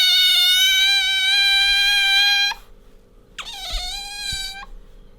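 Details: Otter Bingo rubbing against its owner and letting out a long, steady, high-pitched squeal rich in harmonics, a short gap, then a second shorter squeal with a bent start.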